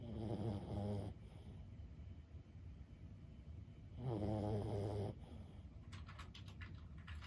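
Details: Deep, vibrating snores from elderly Boston Terrier Lulu, 15 years old, asleep. One snore comes at the start and another three seconds later, each about a second long. Brief clicking follows at the end.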